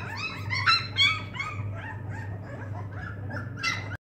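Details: Dogue de Bordeaux puppies give a few high, wavering whines early on, then fainter overlapping squeaks fading into a low background hum, with one brief louder cry near the end.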